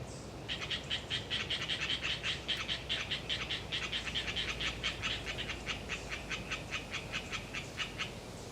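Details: Windy autumn day in the Galeriç Swamp Forest, Kızılırmak Delta, Samsun, with Hyla orientalis tree frogs in audacious chatter: a long, loud train of sharp pulsed notes, several per second for about eight seconds, over light wind noise.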